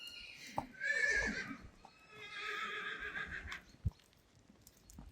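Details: Friesian horse during a photo shoot with Rising Star and Reintje: a falling, harmonic whinny around the first second, then a softer drawn-out tone. Light hoof or handling knocks are heard.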